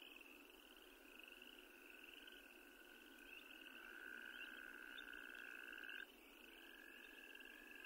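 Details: Wyoming toad trilling amid a chorus; one clearer, louder sustained trill rises out of the overlapping calls for about two seconds before stopping abruptly, while higher-pitched trills continue in the background.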